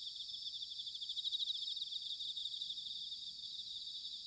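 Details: Bell crickets in autumn at Sanuki, Chiba, Japan: a softer, more distant high pulsing trill of overlapping insects, with low rumbling background noise underneath.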